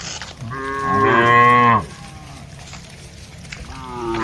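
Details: Herded cattle calling in a spacious plantation as they look for food; one strong moo swelling then stopping abruptly, followed by quiet background and the start of another call.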